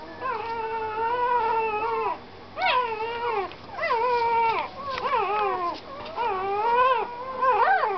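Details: Puppy whining in long, wavering harmonic cries, each lasting about a second or more and sliding up then down, about five in a row with brief gaps.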